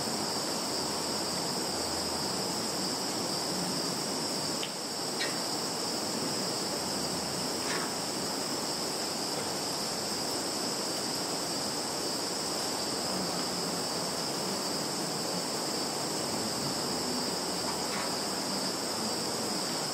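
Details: Insects calling in a field in Zhukovsky district, Kaluga region, Russia, on 11 September 2019, recorded on a Samsung Galaxy phone: a steady, unbroken high shrill chorus with a fainter higher band above it and a few brief faint clicks.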